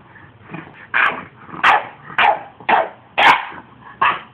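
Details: Almost five-month-old puppy, upset and speaking his mind, gives a run of six harsh barks roughly every half second over low background grumbles, with a man talking afterward.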